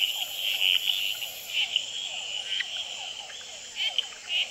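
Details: At night on a potted plant beside the Experimental Pond in Gamboa, male red-eyed treefrogs call, tremulate and fight. Clipped bright chucks recur irregularly over a dense high frog chorus that includes hourglass treefrogs and a lower rippling trill.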